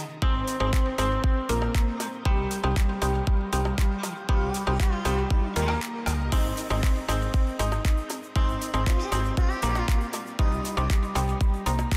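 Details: Loud electronic dance music with a steady beat and synth chords, and no animal sound.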